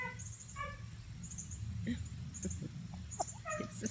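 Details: A female dog whimpers in short, high, whining notes over a low, steady background rumble, in a yard with chickens, apparently in distress because she likes to keep her owner in sight and cannot see her.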